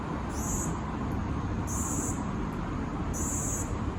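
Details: A Kaempfer cicada (Platypleura kaempferi) in Tokyo, Japan, on July 6, 2022 sings in short, high, hissing bursts repeated about every second and a half.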